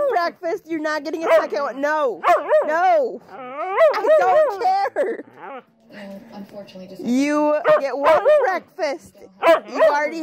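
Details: Huskies 'talking' in rapid, wavering woo-woo phrases, each note bending up and down, strung closely together with brief gaps and a few sharper yelps near the middle.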